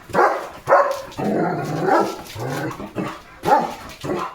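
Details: A German Shepherd named Leo barks on village guard duty one morning at cattle, vehicles and other dogs. Short barks open and close the stretch, and a man's voice talks over the middle.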